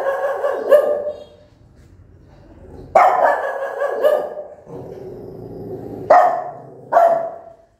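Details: Mother dog barking angrily and at length at her newborn puppies, loud ringing barks in pairs with drawn-out tails, separated by a low growling rumble.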